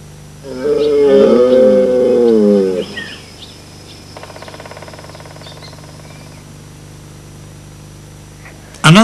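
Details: Red deer stag on Exmoor bells, a loud, hoarse, drawn-out roar, the mating call announcing the beginning of the autumn rutting season.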